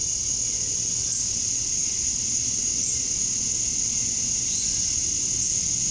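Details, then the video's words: Male cicadas chorusing to attract females at dusk on a summer night in Georgia, USA: a dense, steady, high-pitched buzzing hiss that holds without a break, with no other clear sounds. "Cicadas at Dusk, Summer Night"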